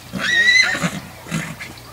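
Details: Purebred Lusitano horse, a mare, at a breeding stud: a short, clear, high-pitched neigh with a steady tone lasting under half a second, followed by quieter snorting breaths, with a man's voice speaking nearby.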